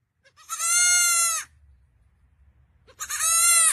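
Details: A baby goat gives two high, wavering bleats, each about a second long.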